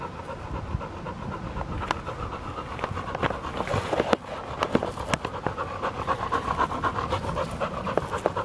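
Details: A field-line Labrador Retriever pants steadily during ball play, roughly two breaths a second, the rasping rhythm broken by sharp clicks and knocks from the ball and paws.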